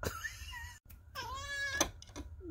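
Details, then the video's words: Pet chocolate tabby Sweet Pea, a female cat, meows at her owner in a room, a habit begun to wake her from a nap; a sliding, wavering call, then a longer meow dropping in pitch, with a woman's voice and short clicks. "SWEET PEA cute chocolate tabby cat meowing playing talking"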